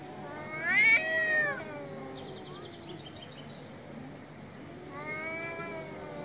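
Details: Angry cat giving a loud, drawn-out meow that rises and then slides down, followed by quieter murmuring and a second, softer, level meow near the end.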